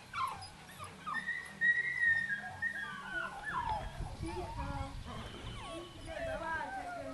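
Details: Dogo Canario puppies from a litter dated 09.06.09, bred from Spanish imported parents, giving thin, high whines that slide up and down in short, uneven runs, while a woman speaks softly to them in German.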